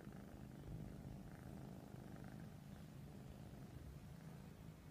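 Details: Continuous low, even purring from Persian cats while cuddling, a soft throbbing rumble with no other clear sounds.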